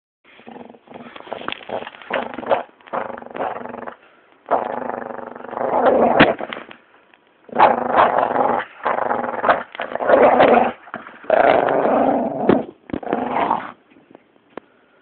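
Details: An angry, playful Staffordshire Bull Terrier growls in rough, rumbling bursts broken by brief pauses.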